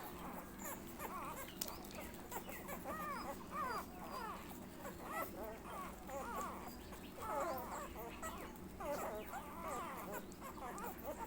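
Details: Nursing Labrador Retriever puppy making a long series of small, high squeaks and whimpers, many rapid upward-and-down flicks packed close together throughout, against low background hum.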